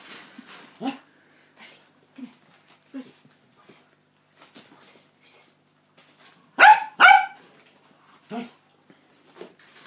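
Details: Adult Cockapoo barking at feeding time beside her 49-day-old puppies, born 5 August 2016, in a home litter: mostly quiet with faint soft yips, then two loud sharp barks close together near the end, and a weaker bark after.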